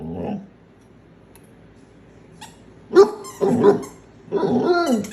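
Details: A domestic dog in a funny compilation of talking pets gives a low grumble. After a pause it bursts into sharp barks and a drawn, wavering howl-like yowl, with faint clicks in the background.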